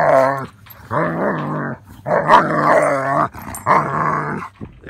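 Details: A German Shepherd wrestling playfully with other dogs, with zoomies, lets out drawn-out, throaty growl-barks, each lasting about a second.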